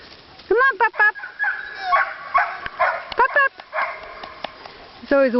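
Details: Puppies almost six weeks old on their first walk outside give high, wavering yelps and whimpers in short bursts, with a man's voice talking and coaxing between them.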